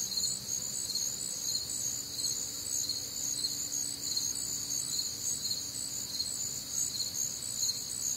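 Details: Warm, humid summer night in the Midwest filled with crickets: layered shrill chirping pulses in a constant high chorus, a faint low tone briefly audible beneath.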